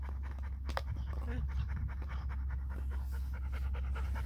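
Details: Vizsla puppy Ember, on day 71, trying to play with her great uncle Dutch indoors; quick breathy panting pulses run steadily throughout, with a person talking over them and a constant low hum underneath.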